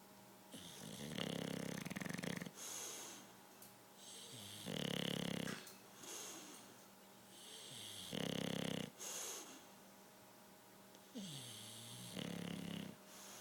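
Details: Winston, a pet bulldog, napping and snoring loudly; rasping, wheezy snores come roughly every three and a half seconds, each a low rumble with a hissing edge, followed by softer breaths between.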